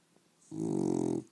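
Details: A female dog snores while fully awake, producing one buzzy, fluttering breath of about three quarters of a second that starts abruptly and then cuts off.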